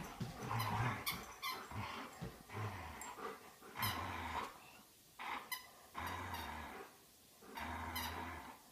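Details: Two Old English Sheepdogs, Dolly and Chewy, playing together at home indoors. Low, rumbling play growls come in short bursts throughout, with squeaky toy noises and sharp thumps between them.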